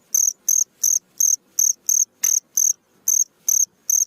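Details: Cricket chirping at night: loud, clean, high trilled pulses, each about a quarter second long, repeated roughly every 0.35 seconds in a steady series with one short gap, against a quiet background.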